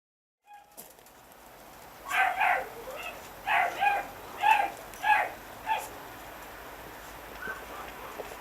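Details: Chihuahua puppies, smooth-coated and long-coated, born 26 September 2009, give a run of about six high, clipped yips over four seconds, each bright and slightly nasal, spaced irregularly, before quiet room tone.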